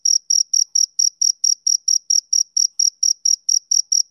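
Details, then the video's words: Summer-evening chirps of a male cricket: eighteen crisp, high-pitched pulses in quick, even succession, each a short shrill burst separated by brief silence. "Cricket Chirping Sound"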